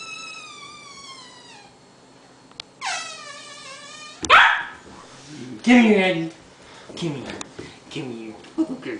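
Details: Eleven-week-old red merle Australian Shepherd puppy, confused by new, strange noises, gives two sharp barks after long, drawn-out falling tonal sounds. Voices and laughter follow.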